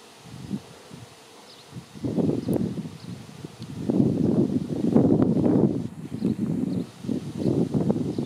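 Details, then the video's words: Swarming honey bees in the air, soon to cluster on a branch for relocation: a deep, wavering hum building in uneven throbbing bursts, loudest midway, with a rustling, gusty texture throughout. "Honey Bee Swarm"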